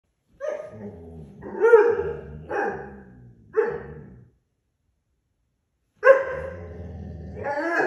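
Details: German Shorthaired Pointer puppy being loud in the morning: a string of harsh, rising barks and yelps, four in quick succession, a pause, then a long drawn-out bark-whine.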